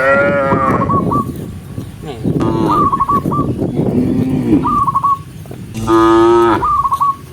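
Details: Herded big-horned cows walking as a group, lowing in short and long moos, one final bellow loud and steady. Clusters of sharp high chirps follow several of the calls over constant low rumble.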